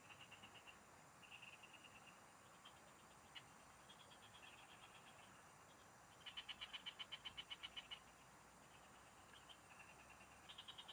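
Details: Several frogs calling in fields while someone fishes in the countryside: short bursts of quick, ticking pulses at about four per second, overlapping callers, with one loud, crisp pulsed series late in the clip over soft background hiss.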